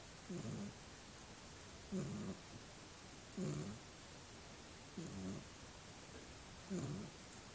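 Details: Sleeping little dog with a steady snore, five low rattling breaths at roughly one-and-a-half-second intervals, otherwise quiet.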